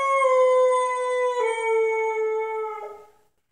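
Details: Pit bull puppy aged ten months howls in a small room, expressing unhappiness: a sustained, clear, tonal howl that steps slightly lower midway and trails off after about three seconds.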